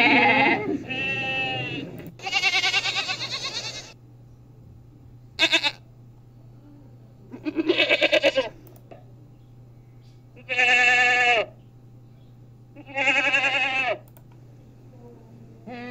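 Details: Goat bleating loudly in mountain country, six harmonic, wavering bleats of one to two seconds each spread unevenly across sixteen seconds, with a steady low hum and quiet gaps between calls.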